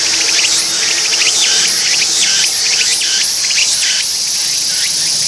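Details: Meimuna opalifera, the tsukutsuku-boshi cicada, calls from its perch in a shrill, rasping series of pulsed units about once every 0.8 seconds, each dropping in pitch, with a steady high hiss underneath.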